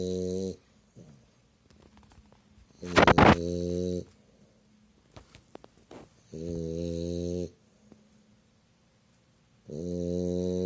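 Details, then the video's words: French Bulldog named Myu sleeping comfortably, snoring in loud harmonic rasping bursts of about a second each, spaced several seconds apart, with a brief noisy snort near the third second and quiet breathing between. "フレンチブルドッグ いびき"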